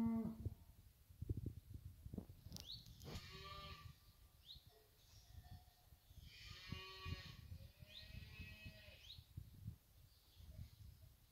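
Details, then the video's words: Fighting bull cows of the La Paloma ranch out in the hills, lowing with drawn-out moos, the longest swelling near the middle; low rumbling and handling noise run beneath. "ganaderia brava la paloma vacas en el.monte"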